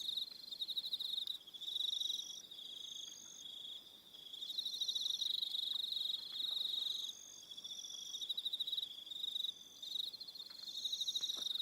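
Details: Crickets calling in the evening on Aroha Island, New Zealand, a shrill rapid pulsing trill that swells and fades in phrases of a few seconds, several callers overlapping with higher thin chirps.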